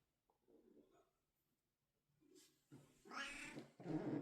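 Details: A domestic cat indoors gives a soft low murmur, then two loud, harsh, drawn-out meows in quick succession near the end.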